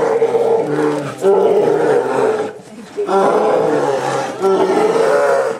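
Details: Two twin male polar bears in Obihiro Zoo, Japan, one warning the other off from a yellow tube on a February 2010 morning; rough, sustained, layered growling roars with a short dip midway before resuming.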